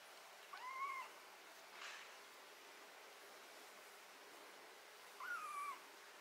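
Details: Domestic cat having botfly larvae, ringworm, fungus and blackheads removed from its skin gives two clear arched meows about four seconds apart, with a brief breathy noise burst between them over a steady hiss.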